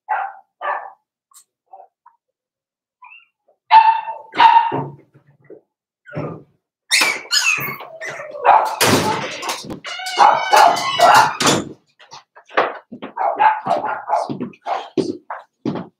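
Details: Daisy's four-week-old Cavalier King Charles Spaniel puppies in their indoor pen give scattered squeaky yips, then a busy stretch of high barks and whines. The calls soften to occasional whimpers toward the end.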